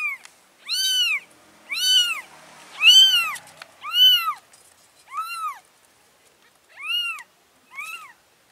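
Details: Cat meowing while a mother cat moves her four kittens to a new place: loud, clear, arched meows. There are seven calls in about eight seconds, each rising then falling, with the last ones shorter and quieter.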